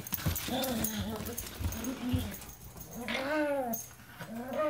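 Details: Two dogs, a German Shepherd mix and a Min Pin, fighting over a toy indoors. Rumbling growl-whines are followed by a high, arching whine near the end. A person's voice comes in now and then.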